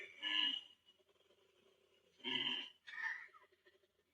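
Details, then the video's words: Koala's deep bellowing, likened to a tractor trying to start, played back indoors: two rough, snoring-like pulsed bursts about two seconds apart, then a shorter third burst, with quiet gaps between. "That's its deep bellowing. It kind of sounded like a tractor's trying to start."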